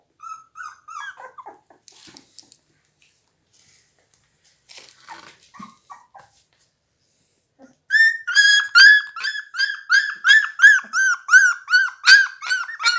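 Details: Blue Pit Bull pups at 17 days: scattered soft whimpers and faint rustles at first, then a fast, steady series of sharp high yelps, nearly three per second, continuing to the end.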